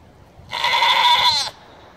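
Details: Nanny goat, known for one of the herd's more abrasive voices, calling out for her kids with one strained, raspy bleat of about a second, loud and harmonic-rich, steady then dropping at the end, over a quiet background.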